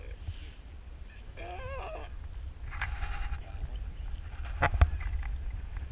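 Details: On South Georgia near Antarctica, one of two elephant seal pups that cuddled up and crawled onto a lap gives a quavering, warbling wail, then a rougher, broader bleat, with a sharp click near the end and low wind underneath.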